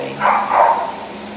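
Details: Male Husky boxer mix producing a single rough, two-part bark that swells, dips and swells again before fading, with faint room hum beneath.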